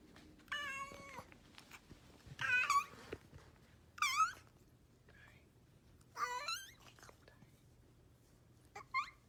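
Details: Domestic cat making strange sounds: five separate wavering, high-pitched meows spaced about two seconds apart, each bending up and down in pitch, in a quiet setting.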